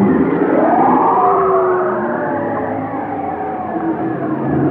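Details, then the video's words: Whale song heard as a faint upward-curving wail followed by a short level tone, set against a dense, hazy wash of softer overlapping moans. "chant des baleines"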